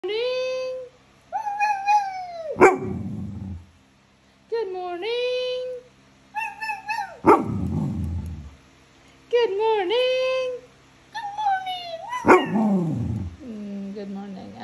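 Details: Standard Poodle saying hello: a series of drawn-out, rising and falling whines and howl-like yodels, with a sharp yip inside several of them, in bursts of one to two seconds separated by short pauses.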